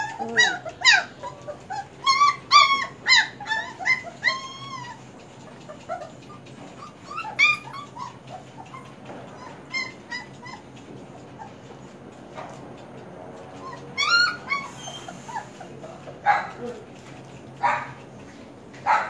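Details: German Shepherd puppies whimpering in scattered clusters of brief high yelps and arched whines, separated by quieter stretches with faint background rumble and clicks.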